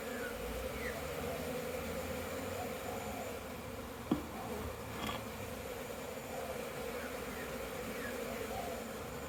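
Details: Swarming bees on orientation flights around a crowded hive on 22 September 2022; a dense, constant buzzing drone, with occasional single fliers sweeping by and one sharp click midway.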